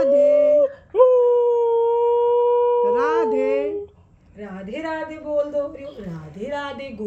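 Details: Oreo the husky, urged at home to say "Radhe Radhe", gives a long level howl lasting nearly three seconds, ending in a wavering drop, followed by a person's coaxing speech.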